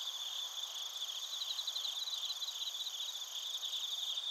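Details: Bell crickets and crickets in Narita, Chiba Prefecture, Japan: bursts of high pulsed chirps recur every second or so above a continuous layer of thin insect trilling.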